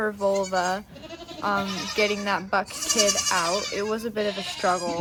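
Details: Nigerian Dwarf dairy doe named Maggie bleating while giving birth to twins, her first kidding, on a Northern California farm; steady, drawn-out nasal bleats nearly a second long, interleaved with people talking nearby.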